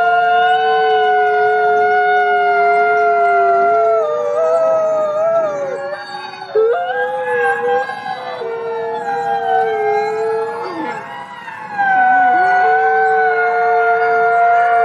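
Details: Forest wolves communicating through howls: long, layered tones from several animals weave together, some sliding downward and breaking into wavering bends midway, then settling back into steady held notes.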